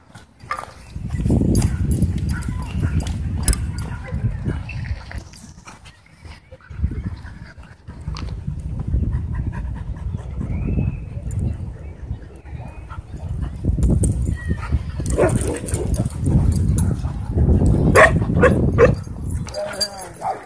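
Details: Two dogs play-fighting at a dog park: rough, low, rumbling growls in bursts of several seconds, separated by brief quieter gaps, with a faint voice in the background.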